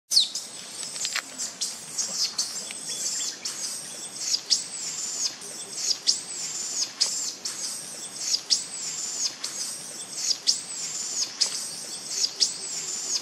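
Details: Baby monkey at the Angkor temples in Cambodia, abandoned by its mother, crying loudly: high, thin arched wails repeated roughly every second, each with a sharp start, over a soft background hiss.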